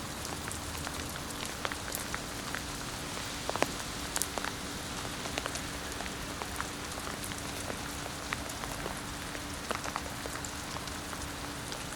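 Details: Steady rain patters on a surface with scattered drip clicks and a faint constant hum, no animal voice.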